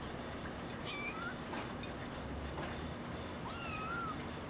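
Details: Faint kitten mews from a female brown tabby and white kitten born 28 December 2010: two soft, high, drawn-out cries, the second sliding upward, against low background rumble.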